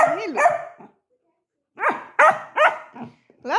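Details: Labrador Retriever puppy giving a run of three or four quick barks in the middle, framed by a woman's sing-song talking before and after.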